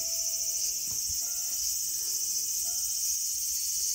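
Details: Cicada droning in a small garden on August 5, 2020: an intense continuous high shrill tone. Two or three quieter low whistles, each lasting under a second, and a couple of faint knocks sound underneath.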